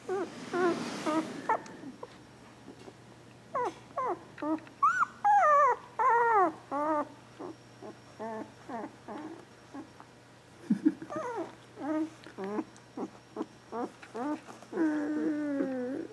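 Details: Border Collie puppies just over two weeks old, including Bailey, born April 18th 2014, well fed and wanting to sleep; repeated thin, rising-and-falling whimpers and squeals in bursts throughout, with some overlapping, and brief handling noise at the start.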